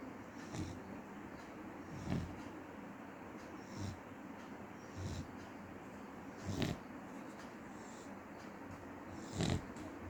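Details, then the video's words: A dog snores in its sleep, with soft, gravelly inhalations recurring every one and a half to three seconds; a quiet, constant hiss fills the gaps. "cute dog snoring"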